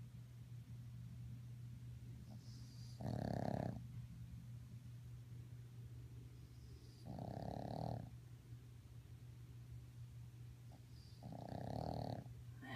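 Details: A sleeping 3½-month-old Boston Terrier puppy snores in rough, rasping bursts about every four seconds.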